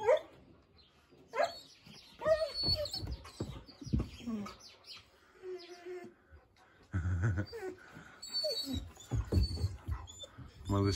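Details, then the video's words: East European Shepherd puppies barking at a husky; scattered high yelps and short barks separated by pauses, mixed with a woman's soft talking and a few louder thumps. "Щенки лают на хаски"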